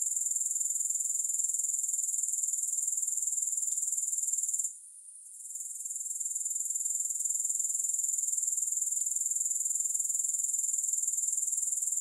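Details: Grasshoppers give a constant high buzzing trill of fast regular pulses, interrupted once by a short gap, with faint soft clicks in the background.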